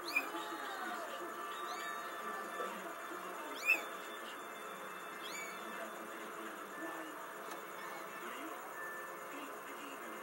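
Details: Kittens giving a few thin, high-pitched mews, each a short arched note rising then falling, scattered irregularly over ten seconds against a steady background hum and faint murmuring.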